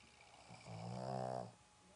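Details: A single long, buzzy, harmonic snore from Roxy, a sleeping Boston Terrier kept as a pet in a Dallas home, swelling and then fading over under a second in a quiet indoor room.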